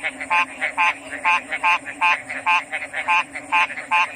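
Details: Frog calling in a nighttime-style chorus: loud, short, pulsed, nasal croaks repeated about twice per second in an uneven rhythm, with softer frogs answering between them over a steady high-pitched drone.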